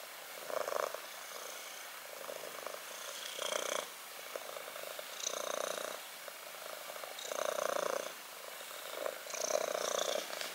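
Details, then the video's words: Black kitten purring steadily, the rough rumbling purr swelling into louder bursts about every two seconds with each breath, softer rattling between the surges; no other sounds stand out. "purring time"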